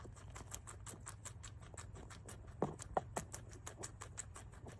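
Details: Guinea pig eating grass, close-up: rapid, steady crunching clicks about three per second, with a few louder bites near the middle and a low hum underneath.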